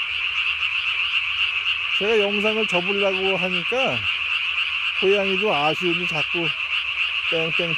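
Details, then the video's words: At night in early May 2020, a Japanese tree frog swells its single throat vocal sac to body size and gives rattling runs of quick nasal croaks in two bouts, against a constant shrill hum of distant callers. "밤에 우는 청개구리 울음판이 몸통 만큼 크네요?"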